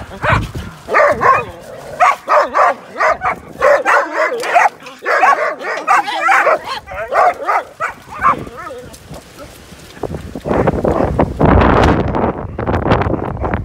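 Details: Snowy play among fourteen dogs brings a long run of sharp, evenly repeated barks, some with a yelping edge, fading into a rushing, noisy burst near the end.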